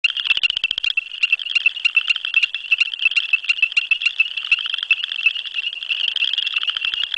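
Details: A male ornate chorus frog on a busy December night gives shrill, high peeps repeated several times a second to attract females, with southern chorus frogs also calling.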